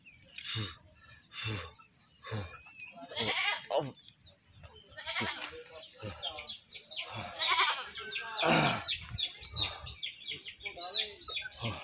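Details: Captured goat before slaughter, calling in a run of rough, quavering bleats that grow louder and closer together toward the middle, with human voices and handling noise underneath.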